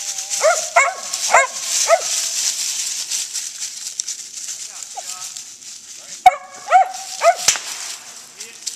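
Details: Daisy, a female Gray's Mountain Feist, barks while hunting squirrels: sharp, high yelping barks in a quick burst of about five, a pause, then another cluster of three or four, with a man's voice calling nearby.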